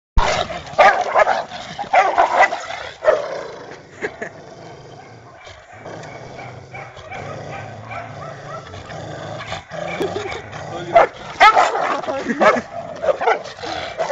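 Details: Labrador Retriever set against a mixed-breed labrador, giving loud, rough barks in bursts at the start and again near the end, with a quieter noisy stretch between and some background rumble.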